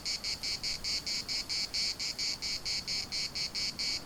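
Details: Rhythmic cicada chorus in Larnaca's municipal park, a high, shimmering buzz broken into even pulses roughly four per second, steady in loudness throughout.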